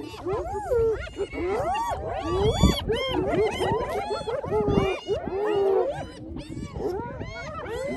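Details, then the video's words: Several hyenas squabbling over a lions' meal they took over after the lions were full, iPhone recording; loud tonal squeals and wavering whoops rise and fall in quick overlapping bursts, with a few low growls underneath. "Hyenas take over lions meal"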